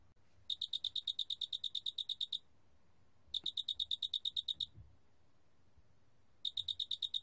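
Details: Loxoblemmus doenitzi, the large spotted cricket, recorded in 2020 by Korea's National Institute of Biological Resources: three bursts of quick, evenly spaced high chirping pulses, the first about two seconds long, with brief silent pauses and faint low rumble.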